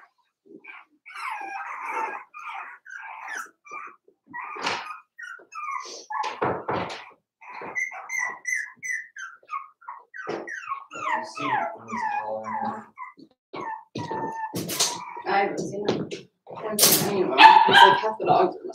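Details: Daisy's four-week-old Cavalier King Charles Spaniel puppies in their pen whimper and squeal almost continuously, high thin rising and falling cries overlapping, ending in louder yelps.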